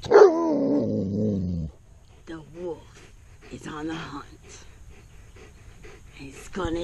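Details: Odin, a giant Alaskan Malamute, growls and barks because he is scared of a duck. A loud, harmonic, falling bark-growl lasts about a second and a half, followed by a person talking and quieter sounds.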